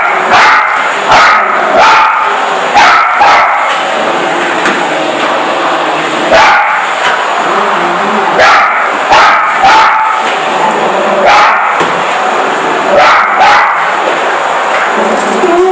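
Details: Female Parson Russell Terrier, first afraid and now defending her territory, barks repeatedly at a vacuum cleaner; short bark bursts, sometimes in quick pairs, come every second or two, half buried under the constant droning hiss of the machine.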